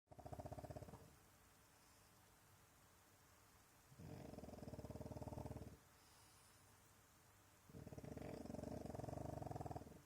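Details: French Bulldog indoors snoring while pretending to sleep to avoid going outside for a wee: three low, rattling, rapidly pulsed snore bouts about every three to four seconds, with quiet gaps between.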